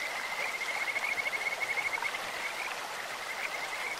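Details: Kajika frog singing in a clear stream with a bird-like voice: a quick high trill of evenly spaced pulsed notes for about two seconds, then fainter trilling, over continuous running water.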